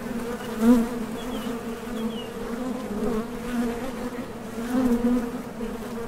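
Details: Honey bees flying in and out of a top bar hive entrance on nectar trips, wing-muscle vibration making a continuous low drone, with louder swells near the one-second and five-second marks as bees pass nearby.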